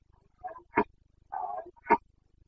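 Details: Carpathian red deer in rut in Bucovina, Romania, breeding season 2022: a rapid sequence of short guttural grunts and a drawn-out groaning note, all within two and a half seconds.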